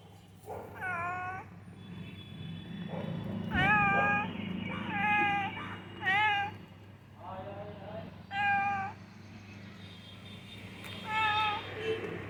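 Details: Cat found on the ground floor of a building on a misty, cold morning, giving about seven drawn-out, arched meows at irregular intervals of one to two seconds over a steady low hum.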